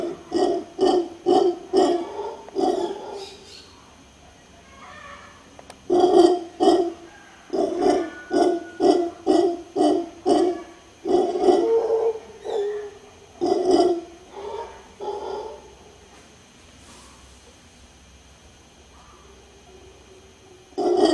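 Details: A mantled howler monkey (Alouatta palliata) in Guanacaste, Costa Rica, howls: deep, rasping grunts in quick runs, each burst rough and throaty.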